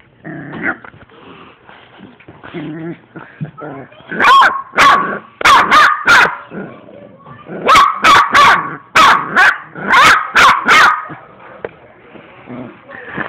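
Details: Three-month-old puppy barking in bursts, sharp high yaps repeated roughly two or three per second in clusters, separated by quieter whining and rustling; music faintly present.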